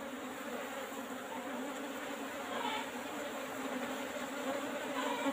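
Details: Honey harvest from Asian honey bees (Apis cerana) housed in an old-style box, with hopes the bees stay calm; a sustained swarm drone throughout, slightly swelling toward the end, with faint scraping in the background.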